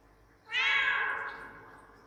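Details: Domestic cat appealing for something indoors; a single clear, drawn-out meow about three-quarters of a second long, starting bright and slightly falling, then a soft echo trailing away.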